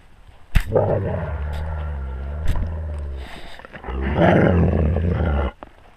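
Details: Wolves with the pack, recorded on a GoPro camera at wolf level: a loud, deep, harmonic growl rumbling for about five seconds, easing in the middle before swelling again, with sharp clicks at its start and end.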